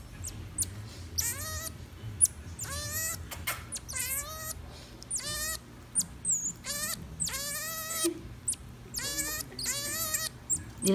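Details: A pet common marmoset eating blueberries gives a run of squealing, harmonic-rich calls that dip slightly, then level off, about once a second.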